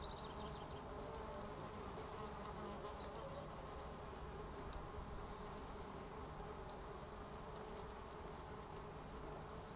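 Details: A courting pair of Osmia rufa, the red mason bee, fills the recording with an unbroken, even buzzing drone, low and dense, with slight flickers of higher rustle.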